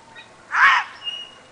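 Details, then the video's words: Wild female gray fox barking at the person filming as it was just getting dark on 5 18 09: a single short, harsh, raspy bark, bright and noisy, lasting under half a second against a quiet background. "The Gray Foxes Nightbarking"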